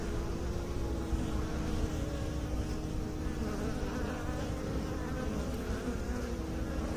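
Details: Massed buzzing of bees kept by beekeepers, low and constant, with a distinct steady hum tone running through the dense drone.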